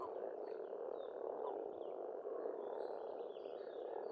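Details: Dense spring frog chorus at a pond in Estonia, a continuous rattling croak mass centred low-mid, with faint high bird notes above.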